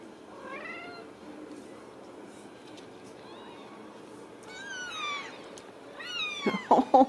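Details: Ragdoll kittens raised indoors without cages in a home in central Kansas, giving thin, high mews that arch up and fall, a few at first, then a quick cluster of louder, rising calls near the end.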